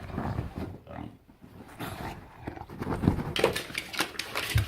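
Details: Bulldog named Enzo making weird gremlin-like sounds: continuous low, pig-like grunting and rumbling growls, with snorty, breathy bursts that grow louder toward the end.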